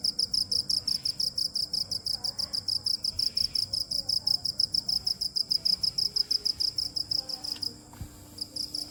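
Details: Chirping cricket giving rapid, evenly spaced high pulses through the whole stretch, softening and briefly breaking near the end, over a quiet background with a faint click and low murmur.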